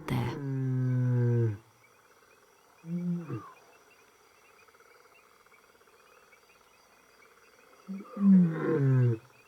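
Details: In Zimbabwe's savannah, the lioness Manyari gives deep, moaning calls to bring her hungry young back from a kill, wary of raiding males nearby.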